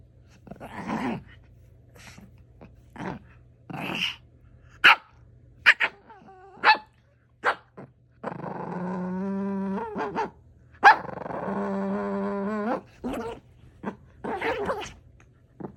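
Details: Pet dog making strange sounds: scattered short barks and yips, then long drawn-out whining groans with strong harmonics, followed by more sharp barks.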